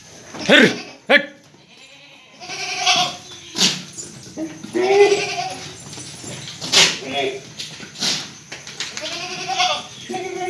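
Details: Breeding buck goat offered for sale at a farm in Delua, Paschim Medinipur, West Bengal, India: wavering, nasal bleats of a second or so break through repeatedly, overlapping with human speech and sharp clicks.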